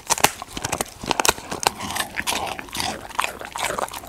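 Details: Pet golden retriever munching a snack such as raw chicken, jelly, dried treats, fruit or sweet potato; sharp separate crunching bites, a few loud snaps early, then quicker softer chewing clicks in a small indoor room.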